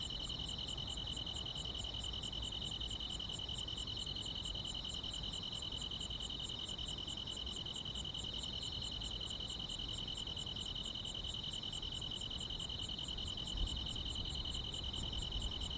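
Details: Grass insects on a summer night, a dense chorus: a bright sustained high trill with rapid pulsed chirps ticking above it about three times a second, very regular, over faint low background noise.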